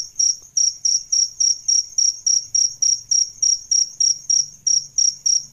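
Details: Male and female adult crickets, for training songbirds, chirp in sharp high bursts about three and a half times per second. A faint low hum sits underneath.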